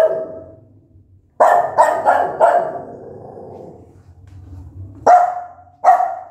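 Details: Angry mother dog barking loudly at her newborn puppies: a single bark, then a quick run of four sharp barks near 1.5 seconds, and two more abrupt barks toward the end, each ringing off briefly.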